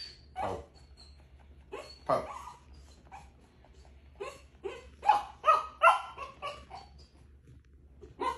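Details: A pet dog named Bella, playful and limping, gives a run of short barks and whining yelps, irregular bursts about two per second, with people laughing and talking nearby.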